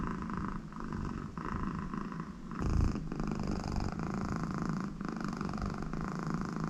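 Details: American Shorthair cat Connie, in a very good mood with her owner beside her, purrs in a low rhythmic rumble with breath pauses, and a brief louder snort near the middle.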